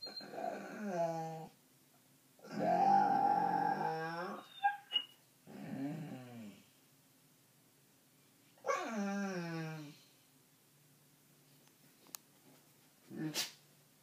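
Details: Dog whining indoors, its daily habit: drawn-out, wavering nasal whines with rich harmonics, four long bouts of one to two seconds separated by quiet gaps, plus a few short sharp squeaks near the end.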